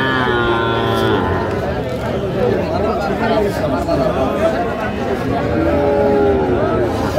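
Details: Young bull calves at a cattle market in Comilla, Bangladesh, on 14 February 2025; a long harmonic moo opens the clip, then soft lowing sinks under constant loud crowd chatter and bargaining voices.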